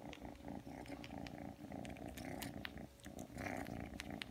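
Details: Aki, a three-month-old Ragdoll kitten that came when called, purrs steadily indoors while kneading and suckling. The low, rapid, even pulses continue throughout, with soft wet suckling clicks and small rustles on top.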